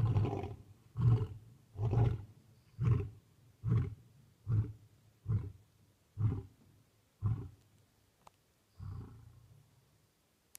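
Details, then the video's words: Lion roaring at night at Talamati, Kruger National Park, South Africa: the closing series of deep, grunting roars, about ten short pulses roughly one second apart, gradually fading. "Roaring lions at night"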